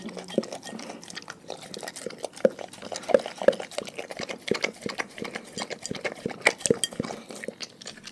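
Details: Pet dogs feeding on raw food give sharp, clicky crunches and short wet smacks. Brief pauses separate the louder bites, and a steady stream of softer gnawing runs underneath throughout.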